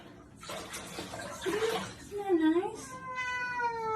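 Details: A kitten gives drawn-out, wavering meows that rise and bend in pitch, with a woman speaking soothingly over it and splashing or rustling noise in the background.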